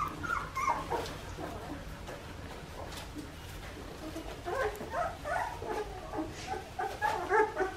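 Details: Australian Shepherd puppies, a litter two and a half weeks old from parents Poppy and Dublin, giving repeated high squeaky whimpers and whines in overlapping bursts, busiest near the start and again in the final three seconds, over low room rumble.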